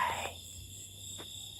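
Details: Locusts at night: a steady, unbroken high-pitched ringing drone holds at several even pitches throughout, with a brief lower sound at the start.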